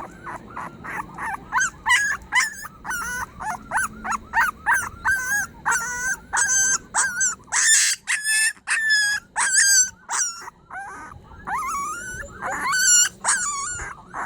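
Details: Puppy crying plaintively as if pleading for help: a rapid run of high, wavering whines and yelps, each short and sharply pitched, repeated several times a second almost without pause for the whole stretch.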